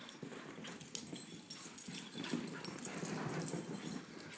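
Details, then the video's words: Two young dogs, a Beagle mix and a Great Pyrenees, roughhousing: a steady low, rattling growl swells toward the end, accompanied by quick panting, soft clicks and scuffing sounds. "Doggies playing"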